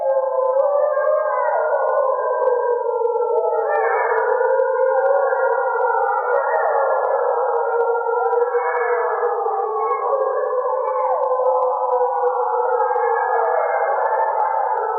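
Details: At night in the northern forest of Voyageurs National Park, a chorus of gray wolves holds long, wavering, overlapping howls that glide up and down into a continuous wail. Such howls rally the pack, mark territory and keep family members connected.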